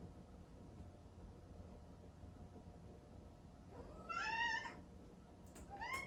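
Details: Chatoran, a cream Exotic Shorthair kitten born 15 April 2019, cries indoors in the early morning after a 4 a.m. breakfast, kept from the bedroom and wanting its owner. One long, wavering, harmonic-rich meow, then the start of another, over low room hum.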